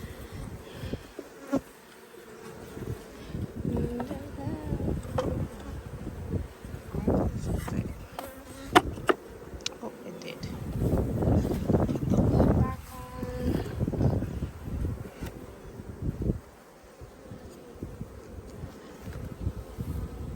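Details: Caught honey bee swarm being settled into a hive among honey and brood frames, recorded on a phone: a dense, steady low drone of many bees throughout, punctuated by knocks and clunks of frames being handled.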